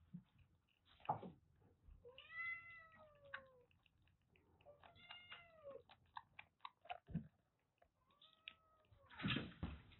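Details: Clingy three-and-a-half-month-old female kittens rescued from a sweltering attic in Japan give drawn-out arching meows, rising then falling, three clear calls spaced a few seconds apart, with knocks and handling noises between.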